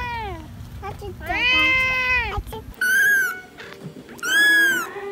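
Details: Several cats meowing in turn: a falling meow, then a long drawn-out cry, then two loud, bright arching meows, over a low rumbling background.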